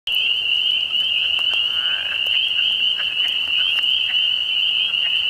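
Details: Frogs calling together in a steady, unbroken high-pitched trilling drone that holds one pitch throughout, with faint scattered clicks beneath.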